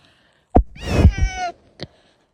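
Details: Lalla, a pet cat, sneezing and fussing when sleepy: a sharp snap, a breathy burst running into a brief high thin whining mew, then one short click, all in a quiet room.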